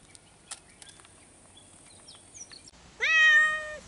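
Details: One of two cats calling to each other while kept apart gives a single loud, drawn-out meow near the end, after quiet background with faint clicks and chirps.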